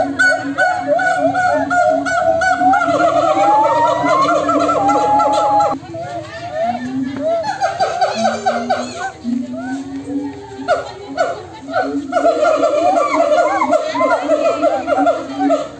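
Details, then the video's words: Monkeys call back and forth in a noisy group. Overlapping whooping and gliding notes fill the first part, a short lull brings low stepped hoots, and then the busy chorus swells again. "suara monyet yang saling bersahutan"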